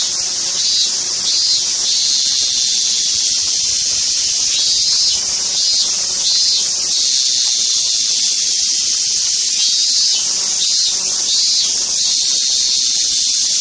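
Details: Intense high-pitched cicada buzzing, continuous and hiss-like, with gentle pulsing swells every few seconds and no other clear sounds.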